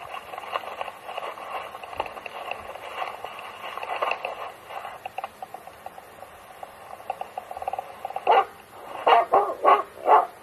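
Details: Finnish Hound used for fox hunting in Gävleborg, Sweden, on a Friday, found chasing a wolf instead. After a long stretch of murmuring background noise, five loud, abrupt barks come in quick succession near the end, spaced under a second apart.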